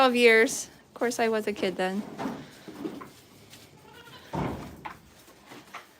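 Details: Goat at The Willful Goat Farm & Home, indoors: a few loud, wavering, nasal bleats in the first two seconds, followed by quieter murmuring voices and a thump.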